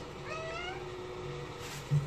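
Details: House cat caught tearing up paper gives one short, rising meow with stacked whiny overtones, over a steady low hum and faint background sounds.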